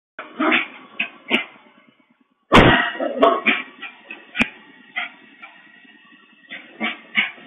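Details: Bichon Frise dog at home, heard through the microphone of an interactive pet camera: short muffled vocal bursts, a loud sharp knock midway, then more brief yips and clicks.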